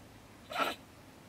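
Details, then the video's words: A single sharp, hissing bark from a bad-tempered female stone marten (beech marten) in a woodpile beside a German shed, heard at night around 10 pm. "Our Ranting Neighbour Mrs. Stone Marten - Frau Steinmarder flippt aus"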